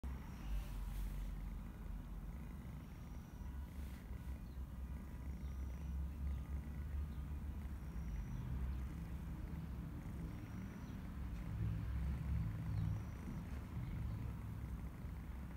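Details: Domestic cat purring, a steady low rumble with soft rhythmic pulses running throughout, faint steady background hum and no other clear sounds.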